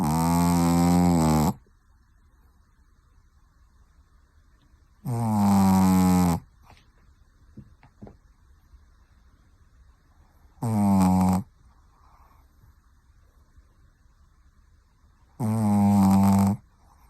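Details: Pekingese. A sleeping Pekingese snores with harsh, rattling breaths that come in bursts of about a second, spaced roughly five seconds apart. The quiet gaps between snores are nearly silent apart from a faint hum and a few small clicks.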